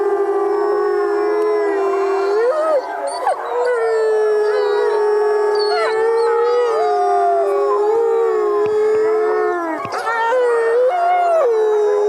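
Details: Wolves in the woods howl together in long, drawn-out tones that hold steady then bend upward or dip, voices overlapping into a continuous chorus with no other sounds.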